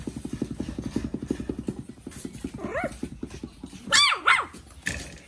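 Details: Male Pomeranian making quick rhythmic puffing pulses for about three seconds, then two or three high, arched, squeaky yips and a final sharp click.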